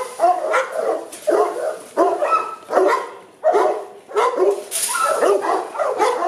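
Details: Boerboel dogs kept at Aubin Boerboels kennel in Accra, giving deep, rough barks in short bursts, about one every second, with brief quiet gaps between volleys.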